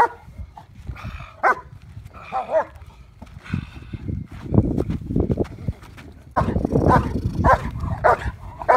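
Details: German Shepherd in Schutzhund IPO protection work with a decoy during trial preparation, giving repeated sharp barks amid rumbling handling noise, scuffling and movement.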